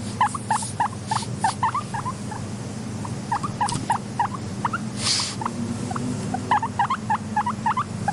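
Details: Content pet guinea pig wheeking: short rising squeaks in quick bursts of several calls, with pauses between groups, over a steady low hum and a few brief rustling noise bursts.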